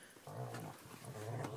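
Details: Eight-month-old Rottweiler and Staffordshire terrier puppies playfighting while camping, a low rumbling growl with rising whiny overtones lasting over a second, in a small indoor-sounding space.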